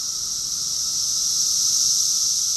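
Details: Brief stretch of a summer cicada chorus from Rockville, Maryland, USA, June 2021: an even, piercing high hiss that holds steady throughout.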